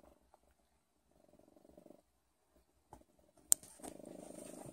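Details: Soft, intermittent purring from a cat: quiet pulsed rumbling in short bursts, a sudden sharp click, then a steadier, slightly louder purr with some noise to the end.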